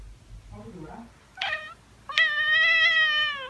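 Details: Tabby cat giving a brief soft murmur, a short bright chirp, then a long steady drawn-out meow with rich harmonics held for over a second. The room is otherwise quiet.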